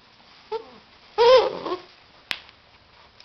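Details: Labrador Retriever puppies, 2009, indoors: a brief high whimper, then a louder arching whine that rises and falls with rich overtones, followed by a sharp click and a faint rustle at the end.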